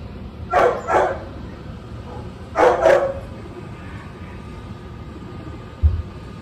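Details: Neighbour's dog barking, a sound that left pet guinea pigs frozen; two quick pairs of short, harsh barks a couple of seconds apart, then quiet room noise and a single soft thump near the end.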